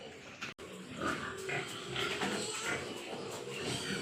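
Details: Large White Yorkshire pigs at a farm in Nadia, West Bengal, giving rapid overlapping grunts and oinks, about two a second, amid steady shed noise and hum.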